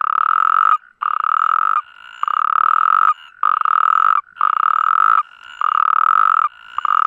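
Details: Iberian natterjack toads calling to mate. Strong, even, ratchet-like trills last about a second each and come in steady succession, overlapped by fainter answering trills at a slightly different pitch in the gaps.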